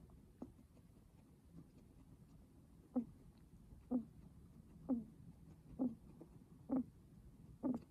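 Raspy, rattling breaths from a guinea pig come in a steady rhythm, roughly one per second. Each breath is a short, low, grating burst in a quiet indoor setting.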